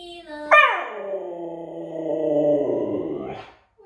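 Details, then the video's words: A husky, one of a pair, gives a single sustained howl: an abrupt loud onset that slides downward, then holds a steady, slightly wavering tone for about three seconds before briefly rising and cutting off. "Howling Huskies"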